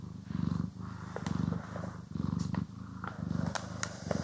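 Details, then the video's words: House cat purring as it is brushed and groomed: steady low rumble in rhythmic breath-long surges, overlaid by sharp brushing scratches and small clicks, recorded in stereo. "CAT ASMR | Purring, Grooming & Brushing"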